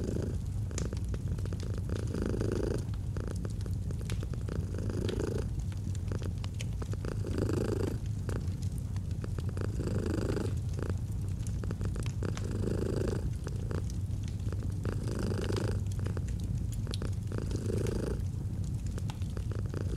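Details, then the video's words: Cozy autumn fireside purring from a domestic cat: a constant throaty rumble rising and falling in regular breath cycles around every two seconds, set against steady popping and crackling of a fire. "the Purring of a Cat"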